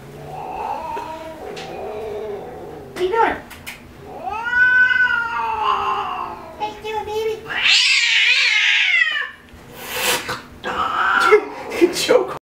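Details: Spayed female tabby cat throwing a fit, aggressive since being fixed; long drawn-out wailing yowls rising and falling in pitch, one loud harsh howl, and growling, mixed with human speech.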